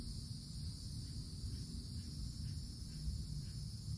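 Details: Cicadas in a summer forest canopy keep up an unbroken, shimmering, high, even buzz with no pauses. Beneath it runs a deep, constant rumble of wind or distant noise that is louder than the insects.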